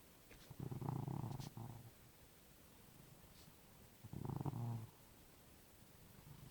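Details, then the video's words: A cat snoring next to a person trying to sleep. Two rough, low, rattling snores about a second long come roughly three seconds apart, separated by quiet pauses. "Cat Snoring"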